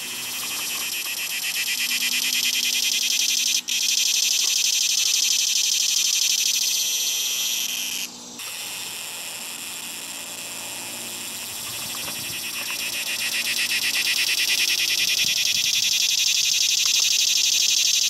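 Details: A singing cicada, recorded September 3, 2020, in a possible 17-year emergence: a loud, high, steady buzzing drone that pulses rapidly and swells toward the end.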